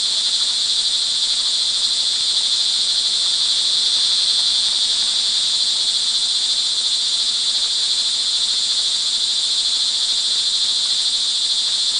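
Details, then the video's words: Crickets in Montalban, Rizal, Philippines, calling through rain in the early evening of June 24, 2011; an even, high, whirring trill from many insects runs without pause, overlapping into a single sustained tone. "sound recording of crickets in the rain"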